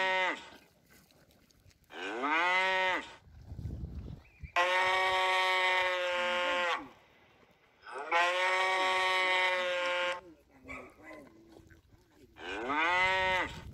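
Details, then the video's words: Cattle lowing repeatedly, five calls in about fourteen seconds: short arched moos that swell and fall alternate with long, flat, sustained moos, separated by brief quiet gaps. "Tiếng con bò kêu phần 1 - sound of cow"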